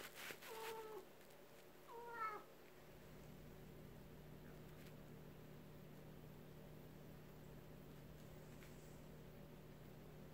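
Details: House cat at a sliding door, excited by an outdoor rabbit and wanting to go play with it, gives two short meows about a second and a half apart; the first is flat and the second bends upward. Quiet hum follows.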